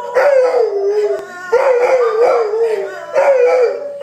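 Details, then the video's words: Several dogs howl in steady, wobbling, mid-pitched tones. The howls come in three swelling waves, each starting with a rising onset and then holding a quivering note. "Howling dogs"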